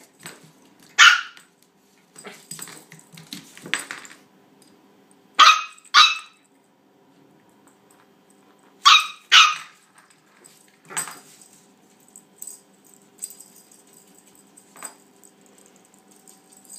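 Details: Female toy Australian Shepherd puppy barking at her bone indoors: sharp, high yapping barks in pairs with long pauses between them, plus a few softer yips and quiet household rustling.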